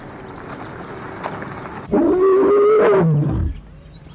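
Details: Adult lion roaring on the Masai Mara grasslands in Kenya: one long, loud, moaning roar of about a second and a half that slides slowly down in pitch and fades into low rumbling, after quiet ambient background.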